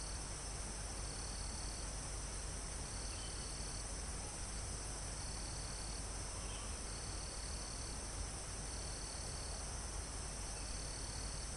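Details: Live recording near a mountaintop forest: crickets and insects keep up a continuous thin, high buzzing, broken by repeated trill bursts about every second. A gentle wind rustles the leaves, and one or two faint bird notes slip through.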